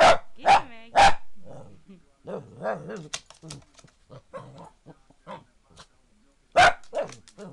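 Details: A Boston Terrier that hates the foot massager barks at it: three quick, sharp barks, then one more after a pause, with a person talking between them.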